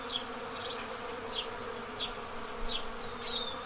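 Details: A steady low hum from many Western honey bees' wings at their hives in Pennsylvania during the April 8, 2024 total solar eclipse, with sharp high house sparrow chirps about every half second.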